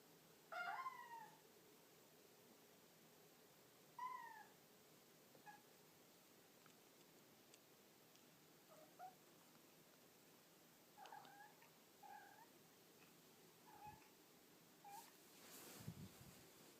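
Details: A Devon Rex cat carrying toys around while seeking attention gives two clear meows, then a string of short, soft chirps.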